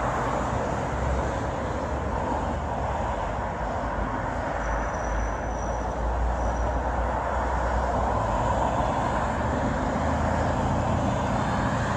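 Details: Steady, dense broadband rumble resembling passing vehicle or traffic noise fills all twelve seconds, with no animal voice standing out.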